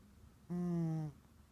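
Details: Woogie, an orange tabby cat taking a big nap, gives a single short snore: a low, buzzy, tonal rumble lasting just over half a second, then quiet room tone.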